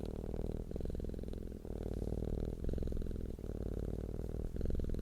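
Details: Close, deep purring of a cat, a rhythmic humming rumble broken into regular inhale and exhale phases about a second apart, with nothing else audible.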